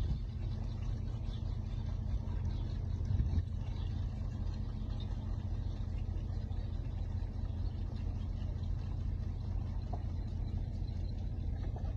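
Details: A continuous low rumble, like wind or a running engine, dominates, with a brief louder knock near the three-second mark.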